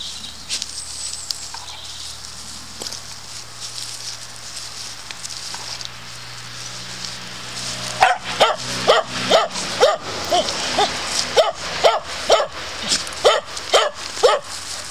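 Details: Dog barking while patrolling woodland to protect its boundaries: after about eight seconds of quiet background hum, a run of about a dozen sharp, loud barks follows in a steady rhythm, roughly two per second.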